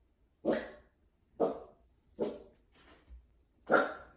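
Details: A Dachshund gives five sharp, clipped barks, each spaced about a second apart. The background is quiet apart from a softer muffled sound between the fourth and fifth barks.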